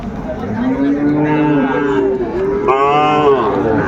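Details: Sahiwal bull calves at a cattle market in Comilla on 10 February 2025: a long, steady, low moo runs through most of the clip, then a brighter, higher bellow near the end, over crowd chatter and bargaining voices.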